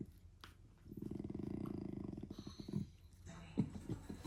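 A German Shepherd puppy gives a drawn-out, throaty grumble with a pulsing rasp, then short grunts.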